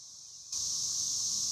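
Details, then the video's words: Cicadas, called chicharras or cigarras locally, start up abruptly after a half-second hush into a steady, loud, high-pitched hiss-like buzz that holds unbroken to the end. "El sonido de las chicharras"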